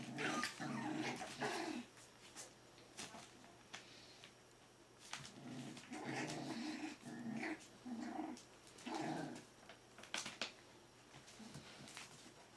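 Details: Four-week-old smooth-faced Pyrenean Shepherd puppies (Berger des Pyrénées à Face Rase) indoors, giving loud bursts of rough growling and squealing yelps, each lasting about a second and coming in runs with short pauses between, with some rustling and clicks behind.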